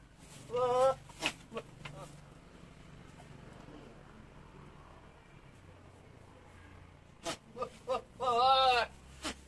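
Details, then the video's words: Young Javanese goat in rut, heard twice: a short quavering bleat at the start and a longer, trembling, wobbling bleat near the end, separated by a quiet stretch. "Kambing jawa bersuara mirip Alien"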